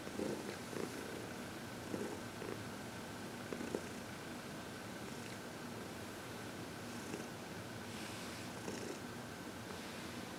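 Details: Massage and reiki leave Heidi, a happy 14-year-old adopted cat, purring on February 22, 2021; soft, rolling low purr with gentle repeated pulses, strongest at the start, over quiet room tone.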